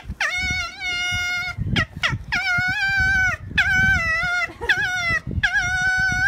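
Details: Angry fox fighting at Zao Fox Village, Japan, December 2016. Loud, sustained, harmonic screaming wails, each about a second long with a rising start and steady pitch, repeated four times with short gaps and brief yelps between.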